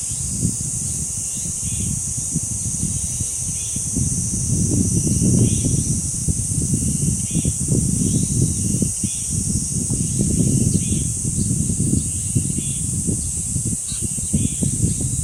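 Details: Cicadas at the dangsan guardian grove of Deoksan village, South Korea: a steady, unbroken high shrill drone throughout, with heavy gusting wind rumbling below and faint scattered bird chirps.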